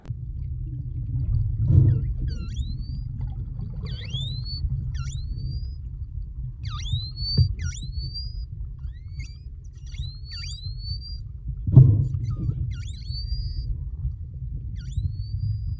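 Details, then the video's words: Underwater while freediving off the Kona coast, Hawaii, short-finned pilot whales trade high, sweeping whistles, many swooping down then curling upward, over low rumble, during a close interaction with divers. "You can hear the pilot whales vocalizing in it, which is really, really cool."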